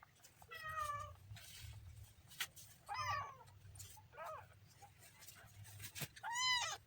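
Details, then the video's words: Kitten meowing: a handful of high, wavering mews spaced a second or more apart, the last one loudest and clearest, with soft rustles and sharp clicks between calls. "kitten funny sound"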